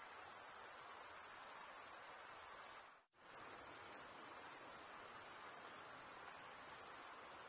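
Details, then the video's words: Steady high cricket trilling that cuts out completely for a moment near the three-second mark, then resumes at the same shrill, even level with a soft hiss underneath. "Most relaxing cricket sound for 8 hours"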